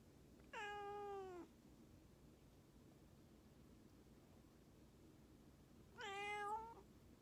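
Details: Domestic cat in a home, sweetly coaxing for affection and attention: two drawn-out, harmonically rich meows, each about a second long, with a slight falling pitch at the end, separated by a long quiet pause in a still room.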